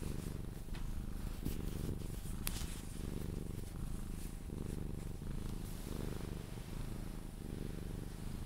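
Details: Sphynx cat purring while cuddled and kissed, purring until it falls asleep; steady low rumbling purr in alternating inhale and exhale phases roughly every second, with faint rustling and kissing sounds.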